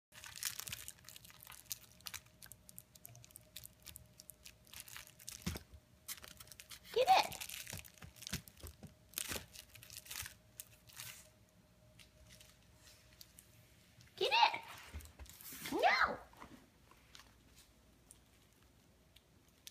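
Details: Ellie, a Vizsla, frustrated and wanting a toy, gives three short whines: one near the seventh second, then two more close together near the end, each a brief sliding tone, amid steady crinkling, crunching and tearing noises.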